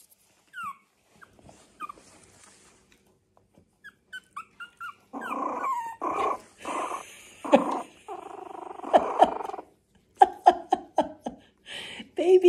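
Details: A teething young puppy, eyes still misty as it learns to see, explores a slippery linoleum kitchen floor on a County Kilkenny, Ireland farm. It gives soft high whimpers, then rough, uneven little baby growls. Dog (puppy).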